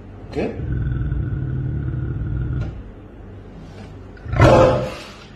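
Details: An African lion indoors, resting in a living room beside a man on a couch, gives a low, rumbling growl for about two seconds, then falls quiet before a short, louder rough burst near the end.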